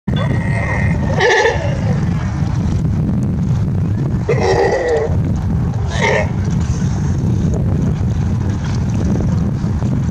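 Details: Playful California sea lions rustling around in clear water in Monterey Bay, California, give a few hoarse, bleating honks over a steady low roar of surf or wind.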